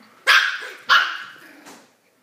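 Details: Pet dog barking at its new red toy to show it who's boss: two loud, sharp barks about 0.6 seconds apart, followed by a softer third bark, in a quiet room.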